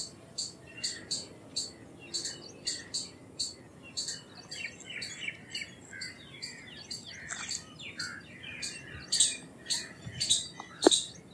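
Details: Indian palm squirrel chatter: high, sharp chip notes repeating quickly and a little irregularly, growing louder toward the end, with lower warbling chirps mixed in the middle.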